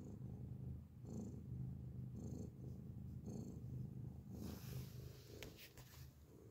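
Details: Steady loud purring from a grey cat recorded close up, a low rolling rumble pulsing with its breathing, ending in a burst of rustling noise over the final two seconds.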